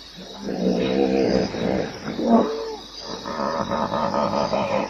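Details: Hippopotamus howling in wheezy, harmonic honks that rise and fall, followed by a lower rhythmic grunting series.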